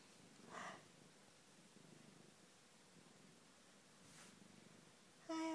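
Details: Pet cat sitting on a sofa indoors, purring with a soft, low, rough rumble that runs steadily through the clip, broken by brief bursts of gentle Danish speech near the start and end.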